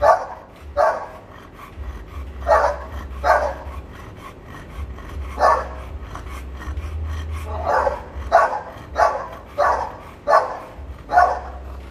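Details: American Bully kennel dog during an artificial insemination session, barking in an irregular run of about a dozen gruff barks with quieter stretches between, a low mechanical hum underneath.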